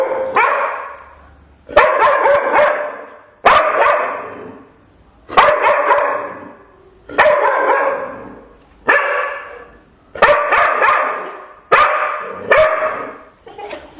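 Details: Loud, harsh barking from a normally silent pet dog, about nine barks spaced roughly every one and a half to two seconds, some given as quick doubles, with no other clear sounds.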